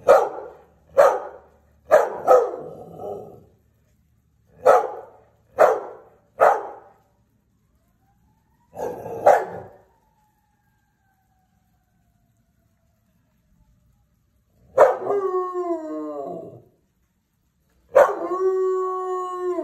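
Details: A Belgian Malinois set off by a siren gives a run of short, sharp barks spaced about a second apart. After a quiet pause come two longer, tonal howling yelps rich in harmonics.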